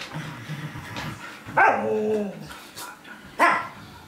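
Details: Czechoslovakian wolfdog pestering a Samoyed: low grumbling, then a loud falling whine-howl around mid-clip followed by a sharp bark near the end.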